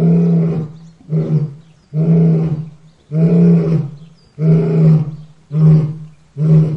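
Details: Lion giving a series of seven powerful low roars, the longer ones alternating with shorter, clipped bursts roughly every second, heavy and rumbling throughout, clean background.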